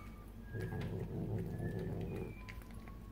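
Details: A pet cat, female, eating a hunk of potato salad she pulled from the fridge and carried to a corner indoors; low rumbling, growl-like sounds with a rapid pulsing texture for about two seconds, faint tonal background sounds.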